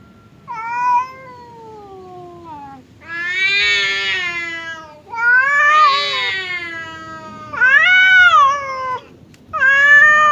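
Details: Hostile standoff between house cats Temon, the aggressive one, and calm Lelo, kept apart by a partition; loud drawn-out yowls in repeated bursts, each rising and falling, separated by short pauses.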